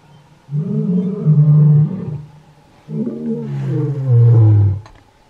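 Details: Two deep, resonant lion roars from the Kgalagadi, used to mark territory and keep in touch with the pride; each a long low moan swelling in loudness, the second ending in a falling bellow, a faint click near the close.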